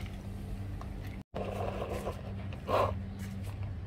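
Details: Cat meowing to ask for food: one short, bright meow with a clear harmonic stack rises midway through, set against a steady low electrical hum and faint scraping indoors.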